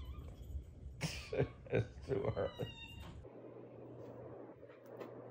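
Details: A kitten lets out a string of about six short, squeaky meows packed into two seconds, each rising and falling quickly. A low steady hum follows in an indoor room.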